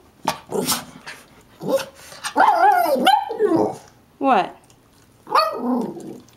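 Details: Two small mixed-breed dogs, a Shih-tzu/Maltese and a Yorkie/Maltese, greet at the door. The Yorkie mix, upset that no attention is paid to him, gives drawn-out, wavering, yodel-like whines and barks in several bursts while a woman talks to them.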